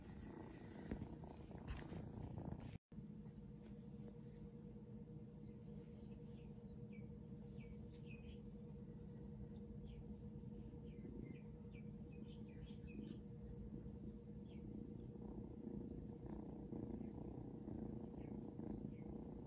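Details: Seal Point Ragdoll kitten named Shadow purrs as it is petted, an affectionate moment; a continuous low throbbing hum holds for the whole stretch, broken only by a brief silent cut, with faint light chirpy sounds above.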